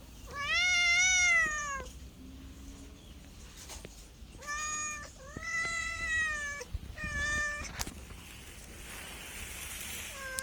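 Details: Cat meowing repeatedly: a long arched cry, then several shorter meows in quick succession, mostly level then falling, followed by a quieter stretch with faint background noise.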